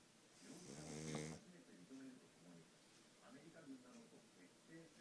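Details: A single loud, raspy snore lasting about a second from Futa, a sleeping pug with a flat nose, then soft irregular breathing sounds.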